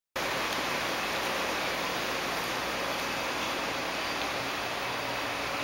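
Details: Steady broadband hiss like rushing water or rain fills the recording from start to end, with no animal voice heard.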